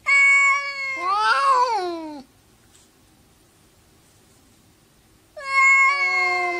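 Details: Quarrelling cats: a loud, piercing wail with a wobbling, rising-then-falling middle, three seconds of near silence, then another strong, high yowl begins.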